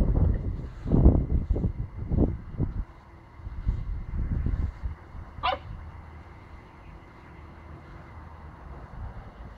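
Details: Pomsky puppy barking while biting at a broomstick: a burst of short, rough, low barks clustered in the first three seconds, one sharp higher yip near the middle, then quieter shuffling and room noise.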